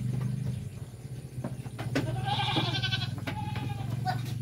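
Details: Goat that has been given cigarette smoke bleats once, a wavering nasal cry of about half a second, over a constant low hum with clicks and handling noises around it.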